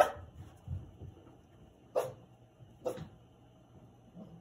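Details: Cavalier King Charles Spaniel puppies; three short, bright barks in a small room, one at the start and two close together about a second apart, with faint rustling between.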